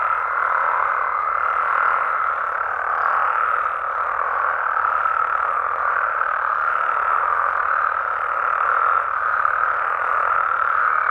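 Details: Mexican frogs and toads at night in the wild, a thick steady chorus of overlapping croaks and trills, with a thin whistle-like tone audible during the first two seconds above the constant mass of calls.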